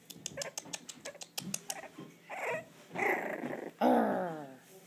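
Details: Four-week-old English Bulldog puppies, away from their mother for the first time and starting to talk back, give whiny, grumbling little yelps after a run of quick tapping sounds.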